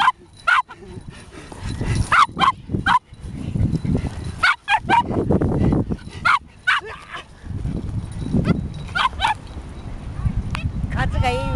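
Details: Male Border Terrier at Kasai Seaside Park, playing with a twig that had dropped on the ground: short harmonic yips and barks in quick clusters, separated by brief gaps, over a low rumbling background.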